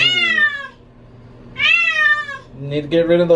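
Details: Pet cat protesting during a bath, disliking water: two long, loud, slightly falling meows with a short pause between, then a shorter cry as a person speaks; low steady hum underneath.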